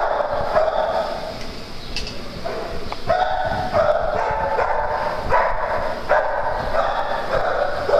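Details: Playtime on a farm brings irregular dog barking, medium-pitched harmonic barks spaced unevenly, some softer and some sharper, over a continuous noisy backdrop.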